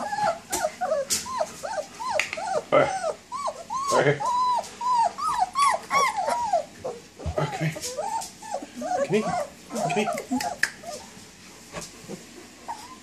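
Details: Nineteen-day-old German Shepherd pups walking and playing call for their mother with a rapid run of bent, arching whines, many overlapping, with sharp clicks and a human voice faintly in the background.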